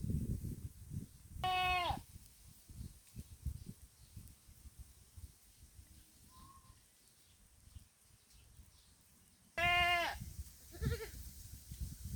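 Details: Two loud harmonic bleats from a thirsty pet goat standing in the middle of a field in the Philippines, one near the start and one near the end, separated by quiet ambient noise with a faint short tone between.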